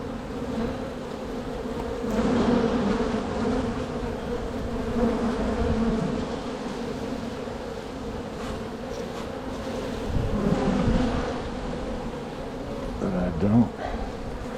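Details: Massed honey bees hum while a beekeeper works through frames to split a strong hive in spring, with big drones present. A steady drone swells and fades throughout, broken by occasional handling clunks near the end.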